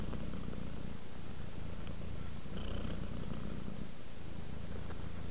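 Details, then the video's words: Domestic cat relaxing and purring toward sleep: a steady low buzzing rumble pulsing quickly and evenly, with a faint breathy rasp above. "Cat ASMR, Sleep while Purring Cat Relaxes"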